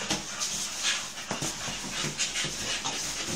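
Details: Staffordshire bull terriers at play, several dogs, heard as rapid breathy panting and hissy huffs in a steady run of short bursts, with scuffling noises throughout.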